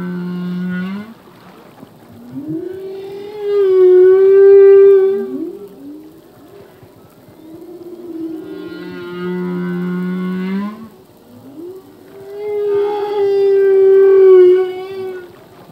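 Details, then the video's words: Full-length song of a male humpback whale at sea, sung as phrases that change yearly: wavering harmonic wails, bending up and down, alternating with low steady moans that rise at the close, repeating in cycles of about nine seconds. "Whale song - full length humpback whale song"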